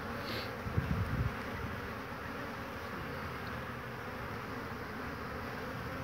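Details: Honey bees swarming over an old wooden hive on 22 March 2019. Soft thuds open the clip, then a steady low buzz of many wings holds to the end.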